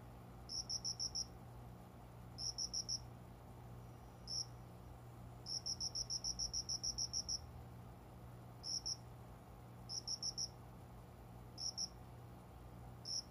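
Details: Cricket singing near a window at dawn in summer, hidden among windowside plants: crisp, high-pitched trilled pulses, some bursts short and single, one long run of about ten pulses, steady hum underneath.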